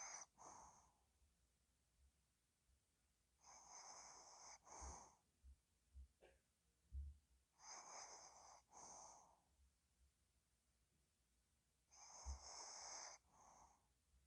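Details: Pet dog Ddochi snoring in sleep: four rhythmic cycles of rasping, wheezy inhale and exhale roughly every four seconds, with soft low knocks and snuffles in the quiet spells.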